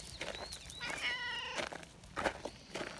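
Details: A brown tabby community cat, repeatedly looking back as if inviting someone to come along, gives one drawn-out, mid-pitched meow lasting about half a second, with soft footsteps and rustling around it.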